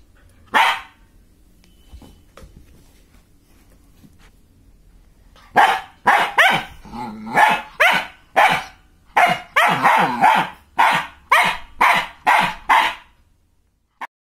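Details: A female German Shepherd puppy gives one sharp bark, then a quick run of high, yappy barks.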